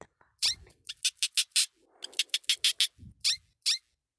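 A hamster gives a quick run of thin, high squeaks in short bursts.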